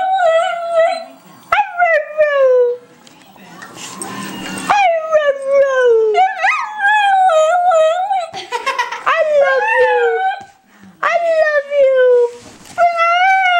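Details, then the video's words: Pet dog Honey howling on cue to 'say I love you': repeated sliding moans that dip and rise in pitch, a noisy hissing burst midway, short yips, and a person coaxing between calls. "Honey says I Love You"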